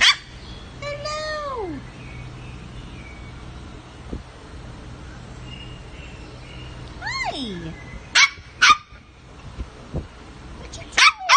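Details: Havanese puppies indoors: several drawn-out whines sliding downward early on and again midway, then sharp high yips and barks near the end, with a person's voice nearby.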